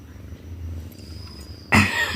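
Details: Mufasa, a pet cat, answers its owner with a short, loud, harmonic meow lasting about half a second, rising abruptly out of a low background hum near the end, with Telugu speech just before and after.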